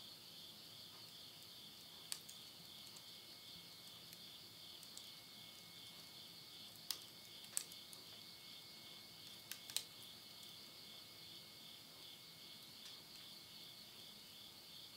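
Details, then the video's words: Insects calling at midnight at the end of summer in the Tottori countryside, Japan, September 2020: a steady high shrill chorus with a thin constant whine, broken by occasional sharp crackles of wood burning in a stove. "the voice of insects"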